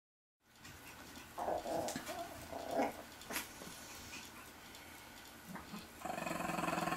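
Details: Chihuahua puppies, eight weeks old, two males and two females, exploring outdoors in Fredericksburg, Virginia; short harmonic growling yips in a cluster midway, then a steady buzzing hum at the end.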